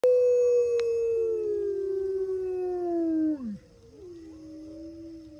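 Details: Gray wolf at a wolf park on a misty morning, howling near a lake as the pack answers from far corners; one long smooth howl slowly falling in pitch, then a short drop and a second fainter voice overlapping, low rumble beneath.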